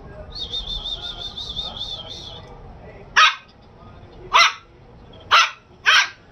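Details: Shih Tzu puppy barking indoors; four short sharp high yaps spaced about a second apart after an opening stretch of a steady high warbling electronic tone over low background hum.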